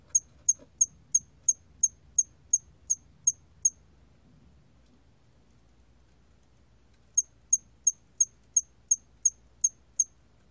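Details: ['Hairy cricket singing a run of about eleven high chirps, nearly three per second. After a silent pause of three seconds a second run of about nine chirps follows.']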